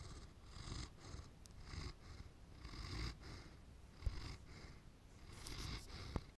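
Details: Landseer dog snoring as it falls asleep indoors: low, rough breathing rumbles returning roughly once a second, each with a soft hissy edge, plus a few faint clicks.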